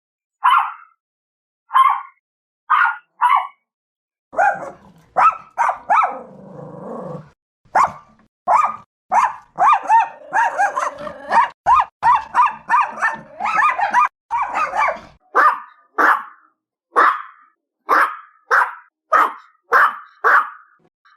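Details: Chihuahua barking, a sharp, high-pitched bark: short yaps in small bursts, then a dense run of rapid overlapping barks mid-clip with a low growly undertone, and evenly spaced single barks at the end.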